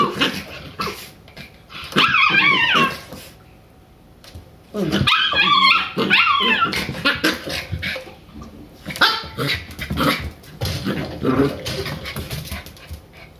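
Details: Shiba Inu puppies Ren and Rin, three months old, tumbling together indoors; harmonic barks and growly yelps in clusters around two and five seconds, amid scrabbling paws and thuds.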